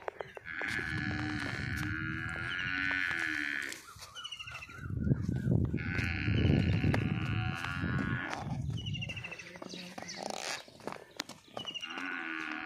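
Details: Nili-Ravi buffalo at a sale in Punjab, Pakistan, calling with long, steady, nasal bellows lasting several seconds each, separated by pauses filled with low rumbling noise, clatter and occasional voices.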